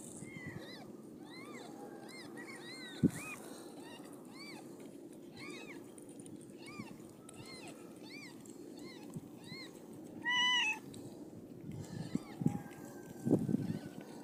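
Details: Siamese cat birth of five kittens; a long run of small, thin, arched mews repeated rapidly, roughly two or three per second, overlapping at times, over a steady low murmur with a few knocks and bumps near the end.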